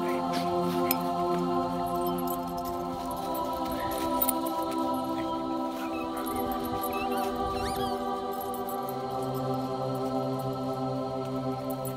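Steady droning background music with sustained tones fills the recording; no animal voice stands out.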